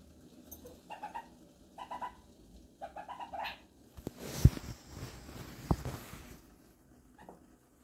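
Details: A pet meerkat living in a home gives short, bright, squeaky chirps in quick bursts of several notes, repeated every second or so, followed by rustling and thumping handling noise and a final faint chirp.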